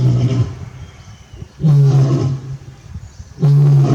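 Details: Low, gruff vocalising of a male lion kept with his mate at Tobe Zoo, Japan, recorded 27 October 2020; three loud, deep, resonant grunts arrive nearly every two seconds, with softer rumbling between them.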